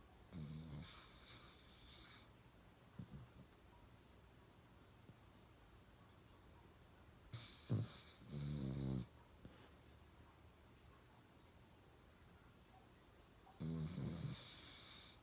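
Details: Uno, a pet dog, snoring really loud: short rasping snorts and brief low rumbling snores at irregular intervals, some with a hissing breathy edge, quiet stretches between bursts.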